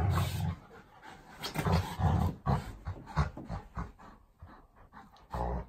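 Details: A pet Golden Retriever and a Labrador Retriever fight each other with gruff, low growls and snorting huffs in irregular bursts, loud at first, fading to quieter grumbles, then one last strong growl at the end.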